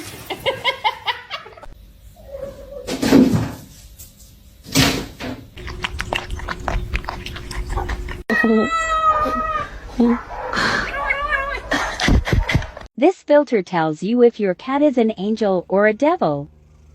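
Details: Cat meowing: after scattered knocks, brief voices and other mixed sounds, a quick run of about eight short, wavering meows follows, each rising then falling, ending the sequence.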